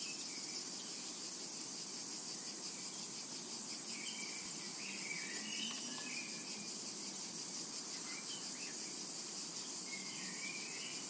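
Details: Constant high, sizzling drone of cicadas over a summer meadow, lightly pulsing in places, with several brief twittering bird calls mixed in at low volume.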